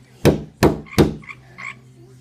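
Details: Frog on a window croaking after someone hits the glass: three loud broadband thumps from the hits, followed by two short, low, rough croaks with a nasal buzzy tone, while people talk and count the hits.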